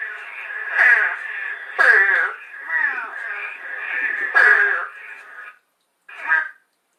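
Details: Eastern spadefoot toad giving short, hoarse groans described as like a baby crow, each about half a second, repeated at intervals; a Long Island frog species.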